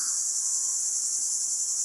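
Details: Greek cicadas near Platamonas in summer heat, heard on a car trip: a chorus in a steady, high, hissing buzz that never lets up.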